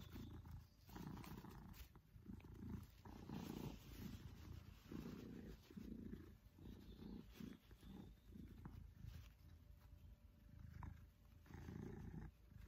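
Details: A contented Maine Coon named Pippin, a male cat cuddling with his family, gives a deep steady purr pulsing in even rhythmic phrases about once a second, loud and close.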